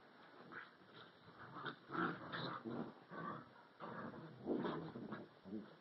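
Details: Alaskan Husky puppy and a year-old Rottweiler/Puggle mix playing together, recorded 2/4/11; continuous low rough growls and grumbles rising and falling in bursts, with snuffling between them.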